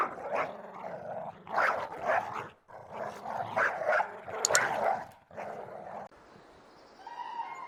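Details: Dog barking in repeated bursts, broad and harsh, several barks in quick succession with short pauses, fading to quieter background sounds near the end.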